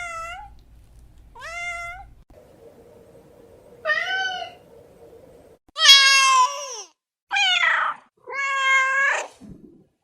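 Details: A domestic cat gives short rising meows, then louder, strained, harsher meows in quick succession, with a brief low rasp at the end.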